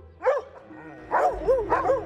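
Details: Seven domestic dogs behind the gate of a large house in a village in Oise, France, give sharp, tonal barks in quick bursts each time a passer-by walks along the gate, disturbing the neighbours.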